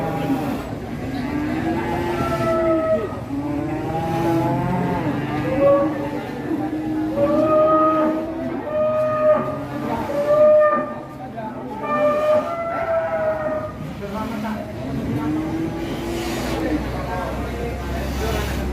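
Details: Aggressive, agitated cattle being unloaded from a truck, giving long low moos that bend up and then down, repeated at uneven intervals, with overlapping people's voices and shouting throughout.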